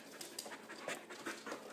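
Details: Playful husky puppy mid-wrestle with a companion dog, giving short airy pants and snuffling puffs in close, irregular bursts, a woman talking just before and after.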